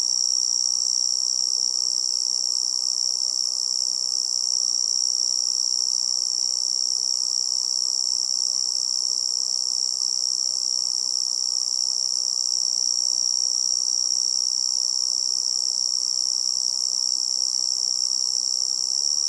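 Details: Continuous shrill tree cricket trill in a forest setting, even and unwavering for the whole stretch, sitting over a faint low rushing noise bed.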